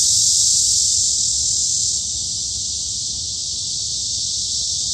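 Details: Summer forest cicadas at Daejeon's Hanbat Arboretum, Korea, producing an unbroken high, hissing drone that drops slightly in loudness after two seconds and continues evenly.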